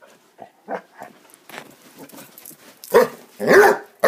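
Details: Basset Hounds playing together: low scattered grumbles and soft yips build into two or three loud, rough, noisy barks near the end.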